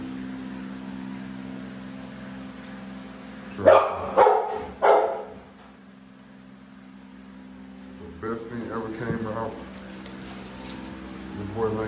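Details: Two American Bully dogs, Navi and Nyla, with three deep, loud barks in quick succession near the start, then a person talking over a steady low background hum.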